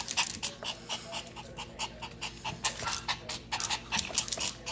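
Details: Two Yorkshire Terrier puppies, babies of Vern, a silkie coat Yorkie. Quick, breathy panting bursts come irregularly, about two a second, with soft snorts and wheezy breaths between them.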